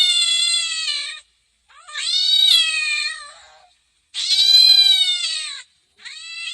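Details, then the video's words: Domestic cat meowing insistently, four loud whining meows in quick succession, the second swelling upward then sagging at its end, each lasting one to one and a half seconds, with clean silence between. "Meow Meow | Funny cats Sound | Cat sound"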